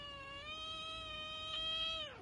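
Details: Long drawn-out meow from a pet tuxedo kitten, an affectionate, clingy little cat: one continuous, even-pitched tonal cry lasting over two seconds, ending in a quick downward slide; quiet indoor background.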